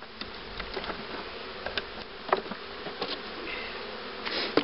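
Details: Steady buzzing of honey bees at a queen-rearing hive in 2013, a dense hum overlaid with light, irregular taps and clicks from beekeeping activity.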